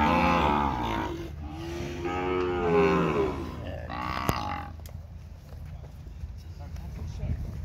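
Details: Auction-lot cattle, seven steers in holding pens at a livestock sale in Araçatuba, São Paulo state, Brazil, Thursday afternoon, 11 March 2021. Several loud, rich, overlapping bellows fill the first four seconds, then a sharp click and quieter pen noise.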